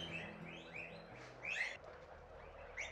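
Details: Several guinea pigs (kuyas) raised by a Quichua villager in the Ecuadorian Andes give high, rising chirps and squeaks, overlapping in quick succession, while being fed alfalfa.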